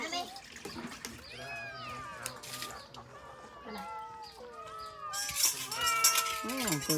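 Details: Several abandoned cats waiting for food meow together, overlapping rising and falling cries in many pitches, with a burst of loud rustling or splashing near the end and a person talking in Khmer.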